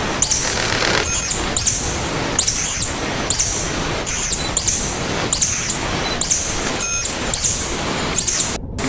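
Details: Tangkasi, the local name for the tarsier, giving high thin squeaks in a regular series about once per second, each with a brief shrill whistle on top, against constant broadband hiss; the clip ends in an abrupt dropout.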